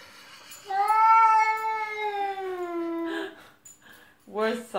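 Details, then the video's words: Pet cat giving a long, drawn-out meow of about two and a half seconds, steady then slowly falling, rich in harmonics, followed by a short second call; a person's voice is heard nearby. "my cat Tika speaks human!"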